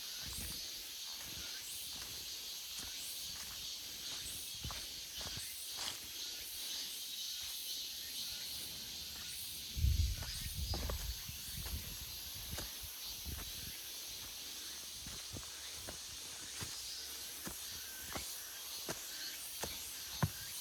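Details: August forest full of cicadas, their continuous high shrill hum filling the whole stretch; a louder low thump or rustle around ten seconds and occasional ticking sounds sit beneath the drone.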